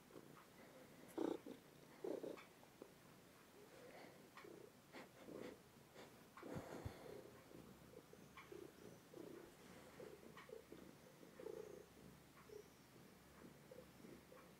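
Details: A two-year-old house cat purrs close to a phone. The purr comes as soft, low, throbbing pulses roughly once a second, following its breathing, with faint rustling in a quiet room.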